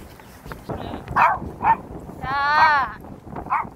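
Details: Pet dog Suga on a walk at Sorae Ecological Wetland Park and Songdo Moonlight Festival Park, Incheon, South Korea, on a windy 21 March 2021: short sharp barks, then one longer drawn-out whining cry, ending with another brief bark.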